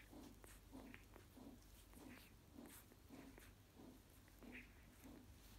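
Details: Newborn Golden Retriever puppies of a litter on their second day, nursing at the mother's teats: soft short squeaks and grunts repeating roughly every half second, with faint rustling and shuffling in a quiet indoor space.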